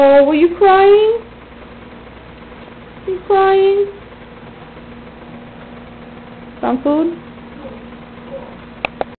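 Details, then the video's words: BJ (Bear Jr), a pet domestic cat, finally meowing on camera indoors: three drawn-out, tonal meows that rise then bend down, spaced about three seconds apart, over a steady background hum with a couple of faint clicks at the end. "Bear Jr Meow"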